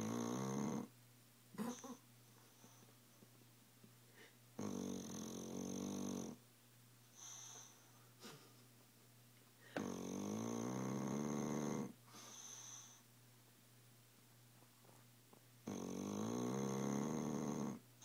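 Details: Tilly the dog keeps snoring away in her sleep, roughly every five seconds a loud grating, rattling snore of one to two seconds, separated by quieter whistling exhales and small noises indoors.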